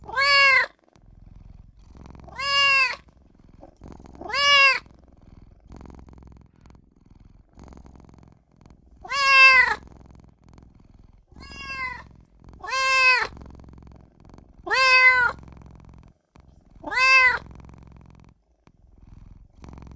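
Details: Young kitten crying for its mother and owner, giving eight short, urgent meows spaced roughly two seconds apart, each a quick arched squeak with quiet gaps between.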